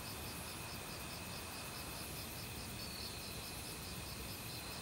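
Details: Crickets calling in an autumn forest among other insects, mountain stream nearby: repeated high chirp pulses and a continuous whining tone, with constant rushing water noise.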